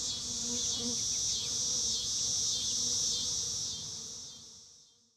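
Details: Miniature sweat bees of the genus Lasioglossum collecting pollen from sideoats grama flowers, giving a steady high-pitched buzzing hum with slight wavering pulses that fades away over the last second.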